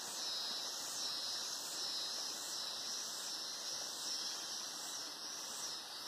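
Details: Cicadas in the Atlantic Forest at Araras, Petrópolis, Rio de Janeiro, fill the air with a loud, high, hissing buzz that swells and fades in steady pulses.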